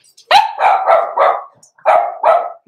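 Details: Blenheim Cavalier King Charles Spaniel puppy from Pom-Pom's small litter, born November 14, 2022, in a home puppy pen at Christmastime; a run of six sharp, high yapping barks in two bursts with short gaps between.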